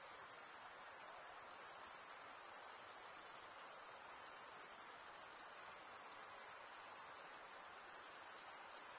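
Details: Crickets chirping in a dense, unbroken chorus: a high, shimmering trill holds steady throughout with faint pulsing and no pauses. No other animals, voices or music are heard.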